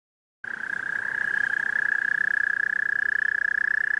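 A toad gives a long, steady, high-pitched musical trill of rapid pulses.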